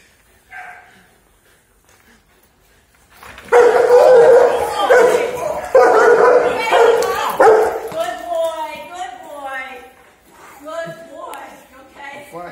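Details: Attack-trained German Shepherd in real protection training, showing how fast it responds to a threat: after a quiet start, a dense run of loud, harsh, rapid barks for about four seconds, followed by a man talking with some fainter barking.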